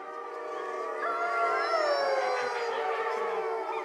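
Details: Grey wolf pack at the Parc de Sainte-Croix, France, howling at nightfall: several long, sustained voices overlap in a dense chorus, one tone sliding slowly downward while others hold steady, with no other sounds standing out.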